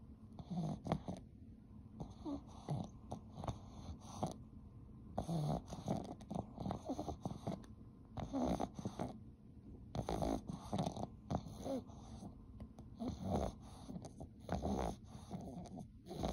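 A Boston Terrier snores steadily, each breath a low, rough rasp with soft snorts and snuffles between. The bursts keep an uneven rhythm of about one to two seconds, with brief quiet pauses.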